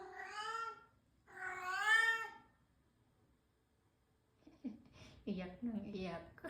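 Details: Crying new house cat, said to be a crybaby, lets out two long, plaintive meows about a second apart, the second louder and bending upward, followed by human talking.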